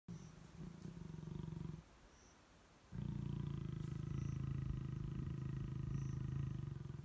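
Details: Lions mating in long grass at Klein's Camp, Tanzania, April 2019; deep rumbling growl-snarls from the pair, a short burst, a pause of about a second, then a longer sustained low growl, with faint insect chirps in the background.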